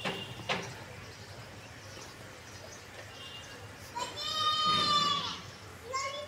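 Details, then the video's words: Young kittens playing on grass with their mother: a steady, level meow held for about a second, then a shorter meow near the end, over a hissing, rustling background. "cute kittens playing on grass with mother"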